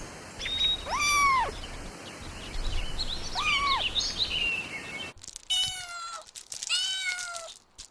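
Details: Meowing from kittens that stalk and chase butterflies on the grass: two clear, arched cries in the first half, then a cut to two more plaintive, drawn-out meows close together.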